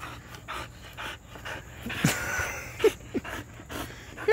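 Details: A tricolor, three-legged female border collie pants while playing with a small stick outdoors. Short breathy bursts repeat through the clip, with a few sharper noises and a woman's voice praising the dog nearby.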